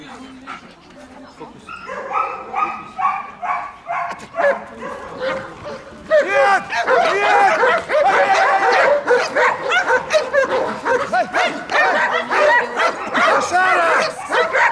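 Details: Protection training of a German Shepherd as a bodyguard dog, Odesa, Ukraine; a man talks and commands at first, then a burst of fierce, rapid barking fills the rest with the voice continuing underneath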